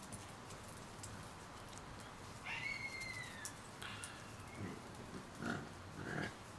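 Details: A Shiba Inu puppy, 30 days old, lets out one drawn-out, high, slightly falling whine. Soft snuffles, squeaks and shuffling from the litter surround it.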